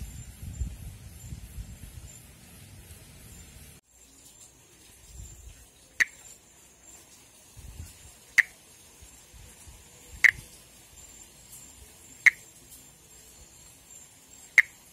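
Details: Monkey tree frog (Pithecopus nordestinus) from northeastern Brazil, breeding on foliage above water: five short, dry clicking notes roughly every two seconds, with rustling at the start and a thin constant insect whine behind.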